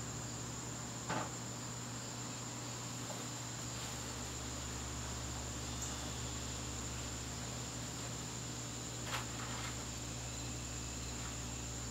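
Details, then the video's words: Crickets in a garden during a September evening hold one unbroken shrill tone, with two sharp knocks breaking the calm and a deep electrical-sounding hum in the background. "garden crickets"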